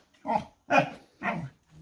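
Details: Noodles the dog gives three loud, evenly spaced barks about half a second apart, each a sharp mid-pitched burst, in a quiet setting.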